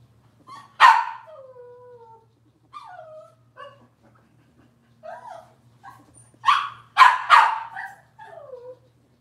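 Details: Robin's litter of Cavalier King Charles Spaniel puppies, indoors on a kitchen camera: sharp high yelps and long descending whimpers, several overlapping as the pups cry in bursts, with a faint steady hum beneath.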